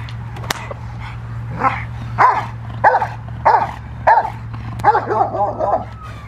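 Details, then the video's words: Rottweiler Freya vh Odom during protection training in November 2021, barking in a run of loud arched barks about one every half second after a sharp snap, steady low hum underneath. "Rottweiler protection training"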